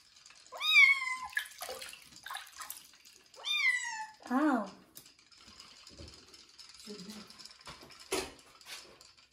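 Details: Joe the kitten protests his first bath ahead of going to new owners; two clear arching meows, then a lower short cry, followed by splashing, a woman's soft voice and water sounds.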